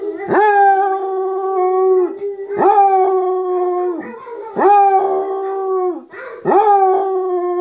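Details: Munson, a basset hound, howling while listening to online videos of other basset hounds howling: four loud, rich howls about every two seconds, each starting with a sharp upward scoop and then holding a level, slightly falling tone.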